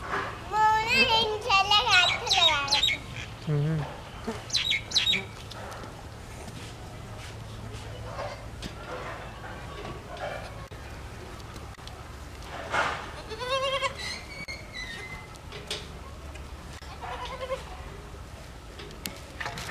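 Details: White baby goats drinking milk bleat in high, wavering cries, with a few quieter calls following.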